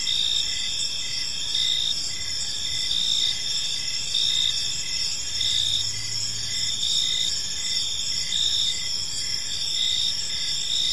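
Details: An evening park chorus of crickets, with continuous shrill ringing tones plus quick rhythmic chirps pulsing steadily throughout, and faint low rumble in the background.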